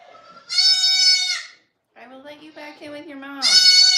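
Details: Goat on a farm, heard live: a loud, wavering bleat, then a person talking, then a second bleat starting as the speech ends.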